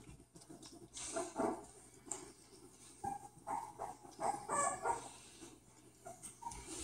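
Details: Bulldog puppies at play, giving soft short whines and yips in the middle of the recording, several brief tonal squeaks clustered together, with rustling and scuffling noise throughout.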